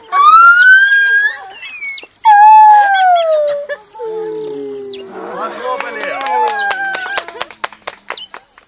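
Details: Captive gibbon named Lisa singing at Khao Lak elephant village: loud, clear tonal notes that slide and fall in pitch, rich in overtones, followed by quieter wavering notes with scattered clicks and knocks near the end.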